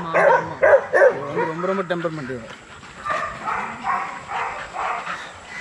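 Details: Young Rottweilers in a kennel exercise yard during a workout; three sharp, loud barks come in quick succession within the first second. A lower, drawn-out vocal sound follows, then softer mixed background noise.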